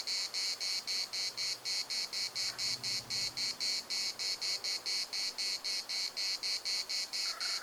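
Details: Rhythmic cicada chorus in Larnaca's municipal park: bright, scratchy buzzing pulses repeated around four times per second without a break, over a soft low rumble of background noise.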